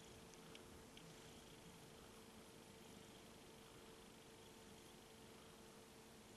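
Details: Domestic cat purring indoors, a soft, steady low rumble of rapid pulses running unbroken through the whole stretch, with a faint constant hum and a few small clicks behind it.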